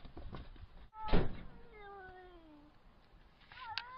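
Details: Domestic cat giving a drawn-out harmonic meow that slides steadily downward in pitch over about a second and a half, after a sharp door-like thump, with a shorter rising call near the end over low indoor rumble.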